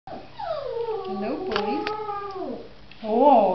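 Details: Samoyed pups: a drawn-out, wavering howl with rich harmonics that rises and falls over about two and a half seconds, followed by a brief higher whine near the end in a quiet indoor setting.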